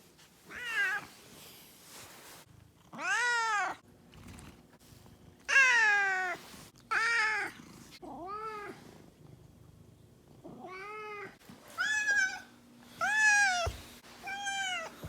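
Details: Miho, a two-year-old domestic cat, scolding with siren-style meows because her owner often works late or sleeps away: about eight arched, wavering yowls of varying length, some clustered and some spaced apart.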